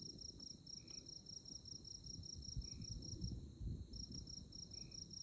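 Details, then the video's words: At night under moonlight in the Konza Prairie tallgrass near Manhattan, Kansas, insects give a high, bead-like pulsing chirp that breaks off for about a second, with faint short lower notes and a constant low rumble of wind. "Moonlit Night in Konza Prairie 🌙 | Insect Chirping Sounds"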